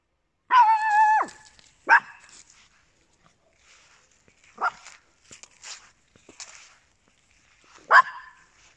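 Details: Papillons and a Yorkshire Terrier, small indoor companion dogs: a loud, drawn-out high whine, then a quick yip, scattered softer yelps and rustling midway, and a final sharp bark near the end.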